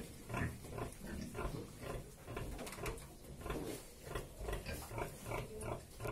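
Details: Sow nursing a litter of sucking piglets; steady run of short, low, muffled grunts repeated roughly every half second, with thin squeaky piglet noises and rustling mixed in.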